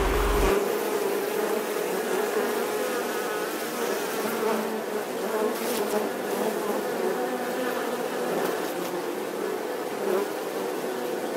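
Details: Steady humming buzz of bees, a rich droning tone with stacked overtones and small swells in loudness, a few faint clicks scattered through.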